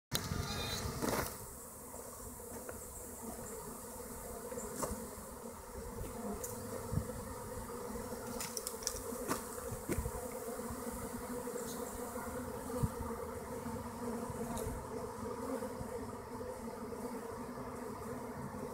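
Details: A swarm of western honey bees moving into a hollow tree gives a dense, steady buzzing hum, with single bees zipping close by.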